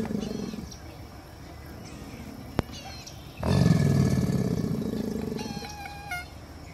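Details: A male American alligator about 25 feet away gives a very low, rumbling courtship bellow lasting about two seconds, swelling suddenly then fading, with birds, including a squawking moorhen, behind it; another gator bellows at the end.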